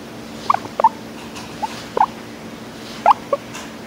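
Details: A guinea pig gives soft, clipped squeaky notes in small clusters, a contented purring chatter of a happy guinea pig.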